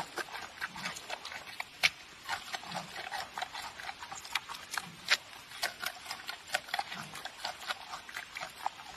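A giant panda chews noisily, with sharp crunches and snaps coming in quick, uneven bursts.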